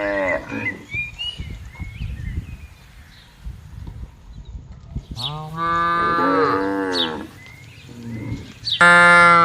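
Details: Cattle herded in a green field low repeatedly, with a long wavering moo from about five to seven seconds and a loud one at the close, over bird calls and rustling.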